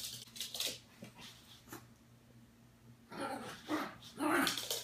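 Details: Adult Yorkshire Terrier indoors, watching a televised puppy football show, gives quiet high-pitched yaps. Faint broadband bursts come near the start and middle, then three louder, sharper barks in the last two seconds over a low steady hum.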